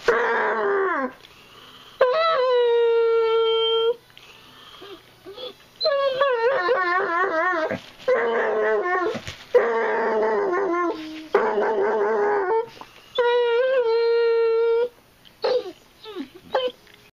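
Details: Female basset hound, howling each time she chews her tail, indoors: repeated long drawn-out howls, some steady, some wobbling and quavering, alternating with short yelps over about seventeen seconds.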